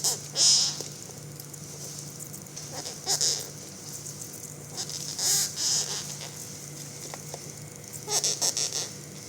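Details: Sprayed beetle, very large with antennae 15 cm long, fallen onto its back on the floor, gives loud scary breathing noises: grouped raspy hisses separated by quiet gaps of two to three seconds, with a constant low hum underneath.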